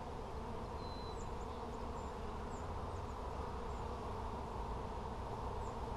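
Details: A constant low hum from bees during a hive check on 17 July 2020, with faint short bird chirps and one thin whistle above the drone.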